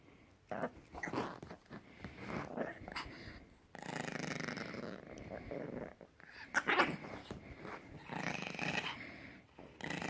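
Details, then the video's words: A puppy making weird noises: a string of rasping, throaty growls and grumbles, some lasting over a second, broken by short pauses and rising in strength around the middle and end. "누마 희안한 소리 내기 puppy Numa making weird noises"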